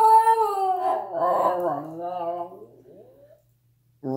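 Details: Husky talking indoors: a drawn-out harmonic howl-like vocalization, wavering and bending in pitch over about three seconds, trailing off into silence before a brief human voice.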